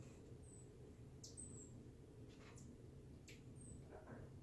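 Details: Reggie, a pet marmoset at play, produces brief high-pitched whistled peeps, several in quick succession, mixed with soft rustling and light tapping in a small room.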